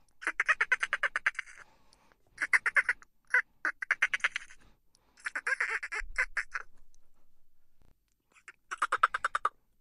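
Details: Chittering dolphins giving bursts of fast, buzzy pulsed clicks that sound almost like laughter. The bursts come in irregular runs with brief silences between them.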